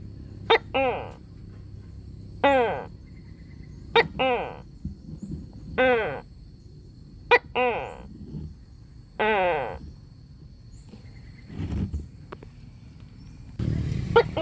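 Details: Leopard gecko calling: a run of short, harmonic, downward-sliding squeaky calls, several paired with sharp clicks, repeated roughly every one to two seconds, with a low background hum.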